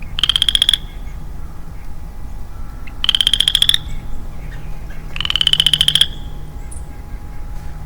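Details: Early spring woodland where a lonely male Western Chorus Frog repeats his ratcheting, upward-sweeping pulsed trill three times, each under a second and spaced about two and a half seconds apart, over a steady low hum.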